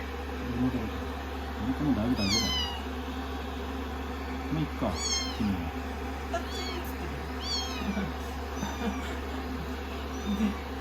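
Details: Rescued kittens, day 16, being affectionate on a lap after shampoo and drying, mew in high falling notes while a woman talks softly over a low constant hum.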